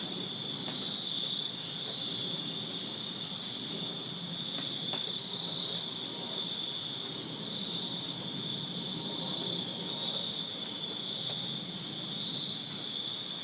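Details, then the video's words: Backyard crickets on a summer night in Virginia keep up a constant shrill chirping chorus, layered high trills holding steady for the whole stretch, over a faint low background hum. "Crickets Chirping Summer Night in Virginia"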